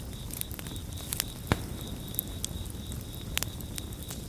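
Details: A near-continuous shrill cricket trill holds steady behind a campfire, with loud wood pops and crackles standing out above a low, roaring fire hiss.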